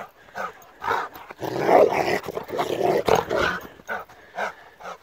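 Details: A Rottweiler on the attack lets out harsh, rough barks in quick, uneven bursts.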